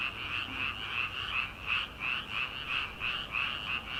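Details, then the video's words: Night chorus of frogs in rice paddies at the start of summer: a thick, continuous rattle of fast repeated croaks, pulsing evenly at roughly three per second, loud and unbroken across the whole stretch. "초 여름 개구리 울음소리/ 논에서 들리는 개구리 소리"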